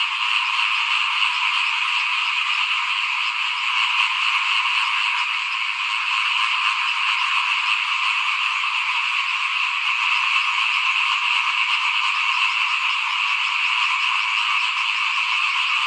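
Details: Frogs calling in front of a house at rice-sowing time in 2021: a dense, unbroken chorus of high, rasping trills that holds steady for the whole stretch, with no pauses and no other clear sounds.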